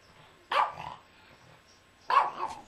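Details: Three-year-old female Yorkshire Terrier, a pet dog indoors in a living room, gives two sharp, bright barks about one and a half seconds apart, each with a short trailing tail, against a quiet room.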